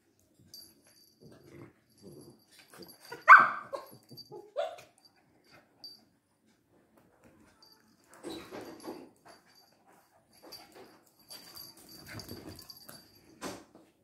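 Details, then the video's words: Two Lhasa Apsos named Bruno and Mars fighting: irregular bursts of rough, noisy growling and snarling separated by quiet gaps, with one sharp, louder yelp-like outburst early on and scuffling grumbles clustered later. "Lhasa Apso:the fight of bruno and mars"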